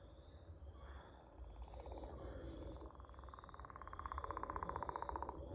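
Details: Frog singing a long buzzy trill of fast even pulses that builds from the middle of the recording to the end, with a softer trill earlier, low background hum and brief higher bird chirps.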